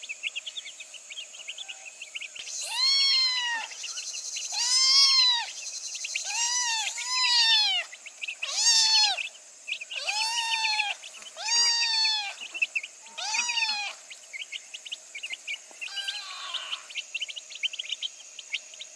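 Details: Little orange kitten meowing in the afternoon: about eight arched, rising-then-falling meows in a loose series, roughly one every one to two seconds, some short and some drawn out, over a constant background of chirping birds.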